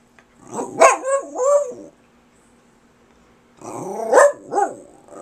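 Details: Kirby the dog, a pet talking persistently to his owner, gives two drawn-out groaning howls with rising and falling pitch, about three seconds apart, in a quiet room.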